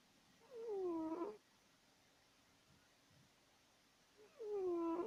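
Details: A pet cat called Woodward snoring in its sleep, loud enough to puzzle house guests; two long, smooth snores sliding from a higher to a lower tone, separated by about three seconds of quiet.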